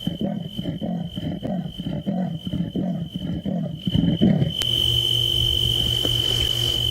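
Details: Leopard sawing, a rapid series of deep, rasping grunts like a saw drawn through wood; a male leopard sawing near the Buffels waterhole and dam, with another leopard heard sawing back from a distance, 18 May 2018.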